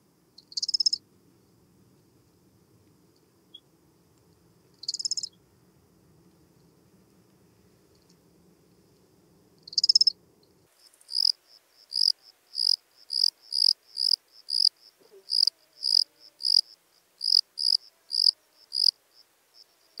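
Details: Lesser field-cricket recorded at Breitenbrunn, Austria, on 23 May 2021: three isolated high, bright chirps about five seconds apart, then a quick run of short chirps repeated about twice a second, over a faint low hum early on.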